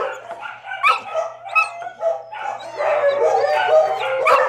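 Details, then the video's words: Female brindle Mastiff held at the Texarkana, Arkansas animal shelter, giving a few scattered barks before a longer, rough, continuous outburst of overlapping dog voices; low constant hum behind. "Brindle Mastiff Female"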